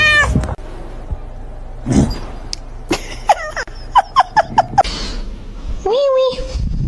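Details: Kitten crying with a run of short high meows in the middle and a longer falling meow near the end, mixed with people talking and laughing in a small room.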